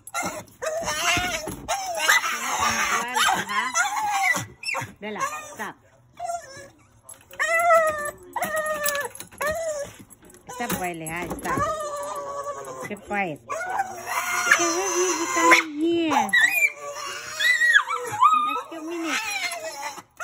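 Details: Rat Terrier in its kennel, put there to calm down because a person is downstairs, indoors; a restless run of whines and short yips that rise and fall, some quick and clipped, others longer and bending, with faint talking.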